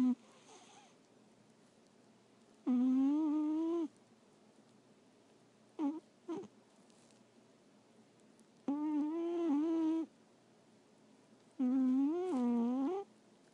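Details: Female Persian cat asleep in closeup with her tongue hanging out, snoring: tonal, harmonic droning breaths about a second long, some wavering in pitch, recurring every three seconds or so, with short snuffles between, in a quiet indoor room.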